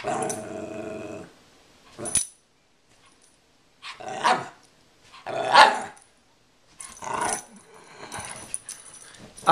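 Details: Pair of Rat Terriers, Angel and Oreo, tussling over their stuffed squirrel at home; a low playful growl fades, followed by several short, spaced barks and yips over the next seven seconds.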